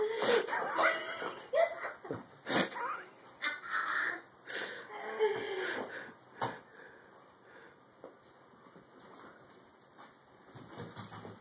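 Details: Thermos the dog growls while playing tug with a door, giving rough, throaty rasps in uneven bursts. A person urges him on and laughs; the growling fades in the final seconds.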